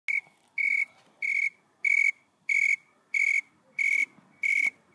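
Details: A shy tree cricket on the leaves of a Nicotiana sylvestris tobacco plant in Santa Barbara, California, in August 2020, sings pure, high trilled bursts about a third of a second long, repeated steadily.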